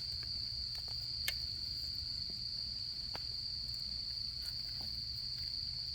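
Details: Autumn insects singing at a campfire during camping season: a steady, unbroken high-pitched trill runs throughout, with sharp crackles and pops from the burning wood and a low murmur of fire beneath.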